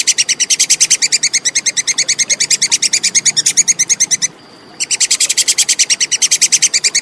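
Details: Chattering of a plantain squirrel (tupai kekes), a clean recording meant for tutoring contest birds: a fast, regular train of high, hard chip notes runs for four seconds, breaks off briefly, then continues unchanged.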